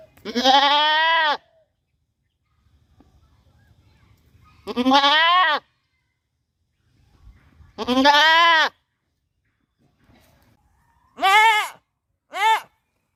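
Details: A goat in a village gives loud, harsh bleats, each a wavering nasal cry, repeated every few seconds.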